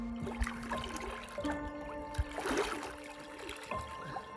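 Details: Soft music of long held tones, with faint trickling water and a few light knocks; no animal voice.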